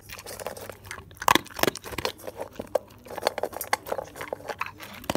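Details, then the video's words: A male dog eating various foods, crispy, moist or bone: irregular crunchy bites and wet chewing clicks in quick bursts, with a louder snapping crunch near the second mark and steady chomping after. "ASMR Dog Eating"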